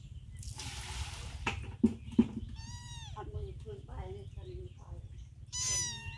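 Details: A hungry mother cat with her young kitten stays close to food. She gives two drawn-out, arching meows, one near the middle and one at the end. Human chatter, thumps, splashing noise and a constant low hum run underneath.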